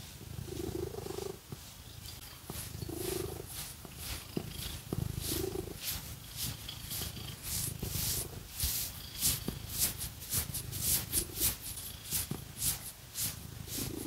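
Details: Domestic cat purring as it is scratched with fake nails, rhythmic breathy purr swells with low rumble, over busy scratching and brushing noises.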